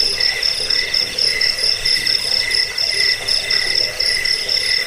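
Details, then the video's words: Cricket chirps on an MP3 sold as a rat repellent, a sleep aid and a bird-training (masteran) recording: high, ringing, pulsed chirps repeated in a steady, continuous train, with a lower buzzing band beneath. "Suara jangkik pengusir tikus pengantar tidur"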